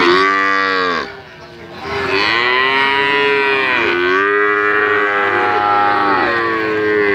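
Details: Melodious mooing from a calf: a short call, a quiet pause, then four connected, arching, harmonic moos, each about a second long, rising and falling gently in pitch.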